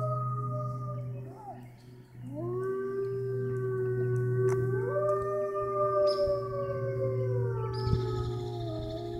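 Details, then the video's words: Captive wolves at Toronto Zoo's Canadian Pavilion, Canada, baying near closing time: overlapping long howls swooping up then holding steady and gently falling, several voices layered, over a constant low mechanical hum. "Wolves at Toronto Zoo Baying/Howling"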